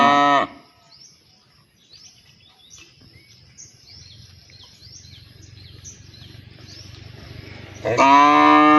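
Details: Cow calling partners to mate: a loud, harmonic moo cut off at the start, then a quiet stretch of small birds chirping and faint low rumble, and another loud moo beginning near the end.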